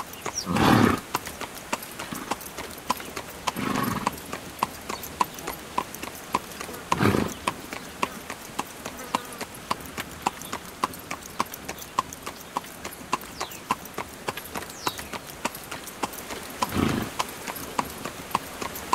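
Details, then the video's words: Carriage horse on the move, hooves clip-clopping in an even, quick rhythm throughout, interrupted by four brief, loud, breathy bursts spread across the recording. "Horse Carriage Sound"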